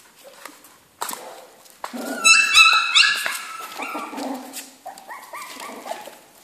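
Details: Kennel-kept Jack Russell Terrier puppies let out high squealing whimpers and yelps, several voices overlapping, pitch wavering up and down, amid knocks and shuffling.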